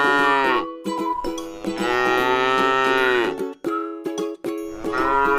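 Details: Tame cow, eating grass in a rice-field pasture, lows repeatedly. Three drawn-out, steady, buzzy moos are heard, the middle one lasting nearly two seconds, with short gaps between them and light clicking in the background.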